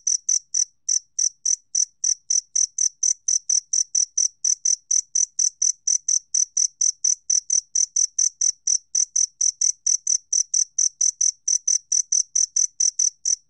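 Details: Shrill, rapid chirps from a two-spotted cricket, 2020 National Institute of Biological Resources recording from Korea, repeated evenly at about four per second with no background noise.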